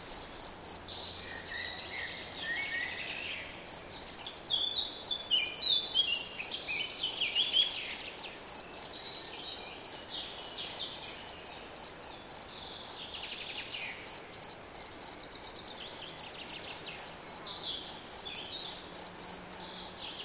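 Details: High, pulsed insect chirps, cricket or grasshopper, from Debrecen's Nagyerdő forest in Hungary, steady at three to four per second with one short break, and scattered bird whistles in the background.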